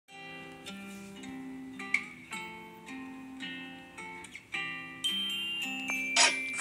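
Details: Bright plucked and chiming music, glockenspiel-like notes ringing over a steady low bass line, with no animal voice anywhere.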